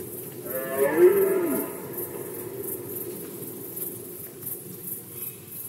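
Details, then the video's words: Red deer during the rut season in Poland, 2020: one deep, harmonic-rich roar swelling and fading over about a second, followed by quieter background with a faint, regular high-pitched pulsing. "Rykowisko jeleni, Rut season of Red Deer"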